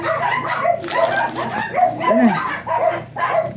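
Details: Morning at a Manaoag kennel where Ziggs, a blue Miniature Pinscher, barks: about six yappy barks spaced roughly half a second apart, with one lower, whining note in the middle and soft human voices behind.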